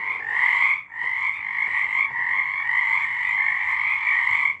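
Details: Night frog chorus recorded in March 2023: massed croaking that drops out briefly near the first second, then runs on steadily as a buzzing two-layered trill, with faint low ticks underneath.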